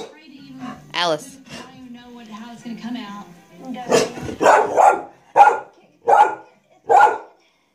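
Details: Alice, a pet dog, barking at a vacuum cleaner while a hand is on it; a spoken voice first, then a run of about six loud, evenly spaced barks roughly one every two thirds of a second.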